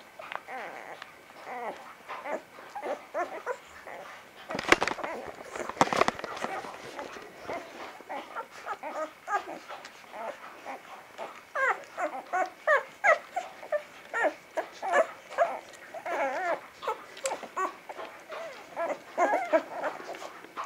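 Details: A litter of Vizsla pups from Batai, recorded 10 January 2013, keeps up a steady stream of thin squeaks and whines, broken near the five-second mark by a brief clattering knock.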